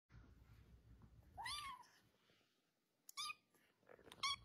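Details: Domestic cat indoors giving three separate meows: a longer rising-then-falling one, then two short, sharp, higher ones about a second apart, with quiet background.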